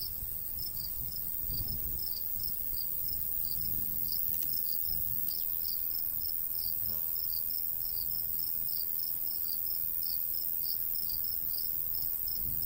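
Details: In a golden wheat field in summer countryside, crickets give clear, high, pulsing chirps in a steady stream, with only a faint breeze and quiet low rustling behind them.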